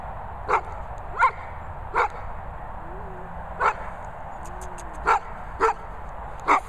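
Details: Theo, a Golden Retriever, giving short, sharp barks and yips in irregular bursts roughly every second, with soft whining between, against a quiet background.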